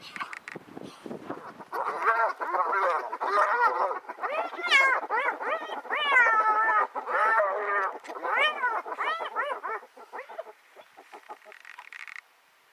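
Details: Several male spotted hyenas try to mate with a female in the Masai Mara, and she rejects them. A dense, rapid run of wavering, harmonic calls rises and falls in pitch, overlapping and fading out near the end.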